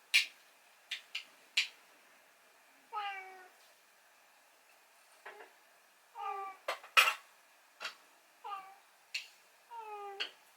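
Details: Rescued pet cat meowing 'naan, naan' for its breakfast on a late morning while its owner is hungover. Five drawn-out, harmonic meows that bend downward, separated by sharp clicks and taps in a small indoor room.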